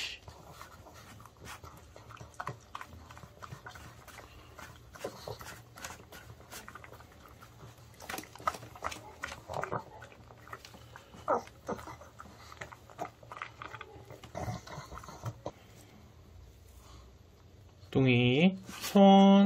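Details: A male Pug born September 2015 chews noisily on homemade dog-safe chicken in early summer, with wet clicks and crunches coming in quick, uneven bursts.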